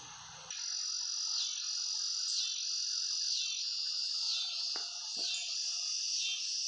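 Cicadas produce a loud, steady high-pitched buzzing drone with slight pulsing swells.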